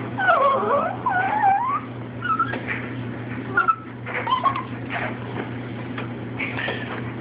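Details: A pet Chihuahua and Shih Tzu begging indoors for food. Wavering high-pitched whimpers fill the opening two seconds, then short whiny yips come at irregular intervals over a constant low electrical hum.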